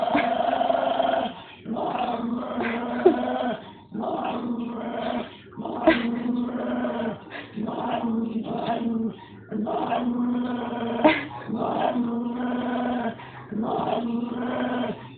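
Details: Dog growling at a dog statue, with low, rough, sustained growls in bursts of about one to two seconds, separated by short breaths and repeated steadily throughout.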